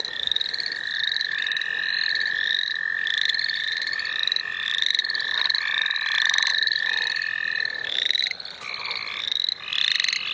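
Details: Many frogs calling at once in the St. Olaf College Natural Lands, a run of bright upslurred peeps stacked over a constant, unbroken trill that fills the whole stretch.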